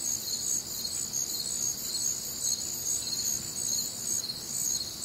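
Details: Crickets on a warm Midwestern summer night, several callers trilling at once in bright, high chirps, fast regular pulses blending into a steady chorus.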